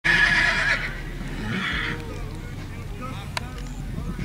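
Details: Sorrel Tennessee Walking Horse stud gives a loud, harsh whinny lasting under a second, then a shorter, fainter neigh around the one-and-a-half-second mark, over steady low rumbling background noise.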